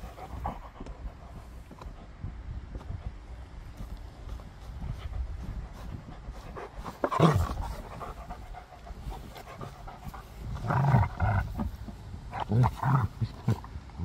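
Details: Gorlock The Destroyer, a pet dog, panting while playing and eating; rapid, breathy low pants run steadily throughout, with several louder grunting huffs past the midpoint and toward the end.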